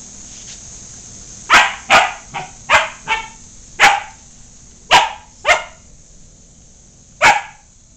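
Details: Pet dog trying to make friends with the household cat; eight or nine abrupt barks in quick clusters, then a pause and a final lone bark, against a quiet steady hum.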